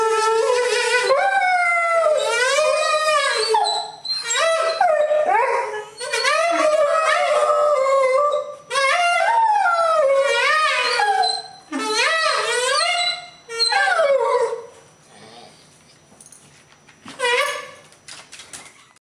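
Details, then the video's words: Ziggy, a pet dog who sings duets with the saxophone, howls a 'Dragon chant' while relaxing on a staircase. Long wavering harmonic howls rise and fall in phrases of two to four seconds, then fade into shorter, quieter bursts near the end. "Ziggy Sings Dragon Chant"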